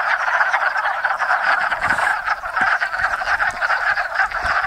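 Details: Wood frogs, hundreds strong, call at a woodland pond in Enosburgh during spring breeding; a continuous mass of clacking, duck-like croaks, individual calls occasionally standing out above the steady chorus, with a few faint low knocks.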